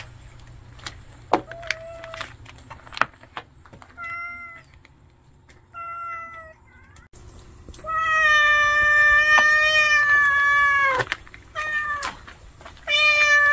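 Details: Food-stealing stray cat and house cat: short soft meows with gaps, then a loud prolonged wailing meow lasting about three seconds, followed by two more loud meows amid light tapping.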